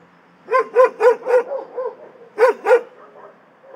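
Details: Several dogs in an animal shelter barking in short bursts, a run of five sharp barks followed by a pause and two more loud barks, fairly quiet background.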